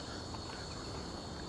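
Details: Cicadas keep up a steady, high, even drone on a short urban forest trail between Sacopã and Urubu lookouts, over low rumbling city noise, with sirens often heard, and footsteps.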